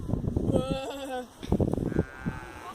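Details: Sheep gives one wavering bleat of about a second, with people talking in Latvian close by throughout.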